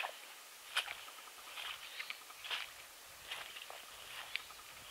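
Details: A moose browsing in Margaree, Nova Scotia: irregular dry snaps, crunches and rustles of twigs and leaves being stripped and chewed every second or two, with faint bird calls behind.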